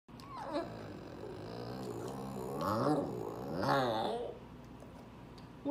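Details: Male Boston terrier, eleven months old, recorded December 18, 2017, asking for more food: a drawn-out, moaning growl with wavering pitch, rising into two louder swells near the end, with faint room noise.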